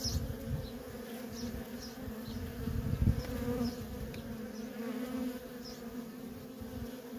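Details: Feral colony of honey bees, constant worker traffic producing an unbroken layered hum, deep rumbling swells near the middle and a few thin high chirps dotted across the background.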